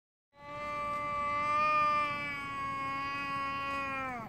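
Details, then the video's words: An angry domestic cat gives a long, steady, moaning yowl that sags in pitch at the very end, just before a fight. "화난 고양이 울음소리 싸우기전 동영상"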